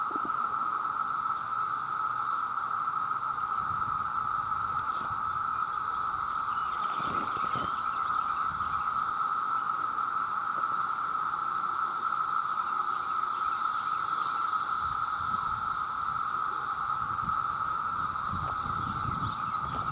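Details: Millions of male cicadas sing to attract females in a relentless steady drone at one pitch, joined by higher shimmering notes; a brief sharp knock breaks in midway.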